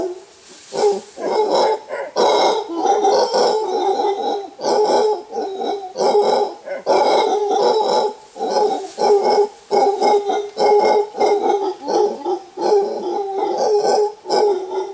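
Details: Wild mantled howler monkeys, a large troop climbing through thick bamboo forest in Costa Rica, give deep, guttural roars in rapid throbbing bursts: an alpha male's warning roar.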